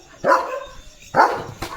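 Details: Leo, a German Shepherd out roaming his farmland, gives two loud, deep single barks about a second apart, then starts a third at the very end; a quiet background lies between the barks.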